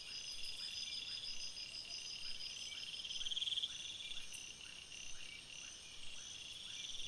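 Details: Crickets at night in a forest: a dense, steady high-pitched chorus of layered ringing tones, with a brief louder burst of rapid pulsed trilling midway and faint lower chirps repeating about three times a second underneath.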